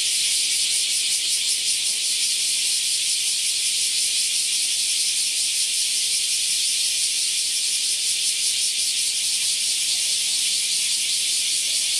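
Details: A large brown cicada, recorded in Japan on the morning of 14 July 2022 around 09:24–09:39, sings a steady, sizzling buzz like oil frying, unbroken for the whole stretch.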